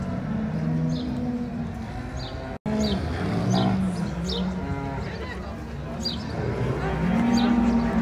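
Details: Brown Swiss cattle gathered at the Appenzell cattle show in 2022, giving low, drawn-out moos beneath a busy background of voices and ringing clinks.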